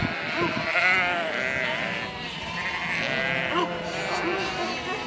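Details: Herd of sheep producing a thick, unbroken blend of trembling bleats, several animals calling simultaneously at varied pitches.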